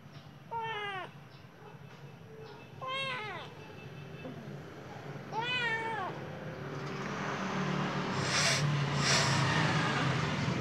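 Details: Golden-eyed Khao Manee cat looking outside gives three clear, arched meows about two and a half seconds apart, each rising then falling. Steady low background hum, and a louder wash of broadband noise builds over the last few seconds.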